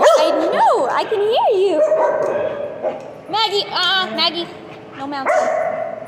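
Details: Chatty dog Piper talking with swooping, rising-and-falling woo sounds and a held tone, then a series of quick, warbling, broken vocal bursts, ending on a steady howl-like note.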